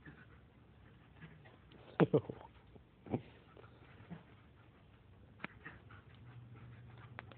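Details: Two puppies, a German shepherd and a Lab, wrestling in play; a few sharp scuffling yelps and growls around the middle, quieter rustles and a soft voice near them, steady low hum underneath.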